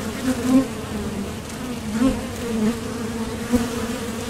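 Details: Foraging honeybees leaving and landing at a Top Bar Hive entrance; a continuous low droning buzz, with brief louder passes by single bees scattered through the recording.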